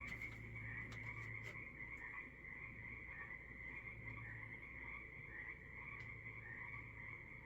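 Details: Frogs calling in the evening on the Sunshine Coast, Canada: a dense, steady trilling chorus of many callers with pulsing waves of sound, plus a faint low hum and occasional soft knocks.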